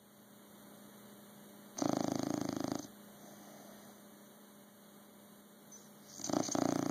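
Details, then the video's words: A bulldog snoring: two harsh, rasping inhalations with a buzzing, throaty rattle, the first lasting about a second and the second starting near the end, with a steady electrical hum between breaths. "Snoring Bulldog"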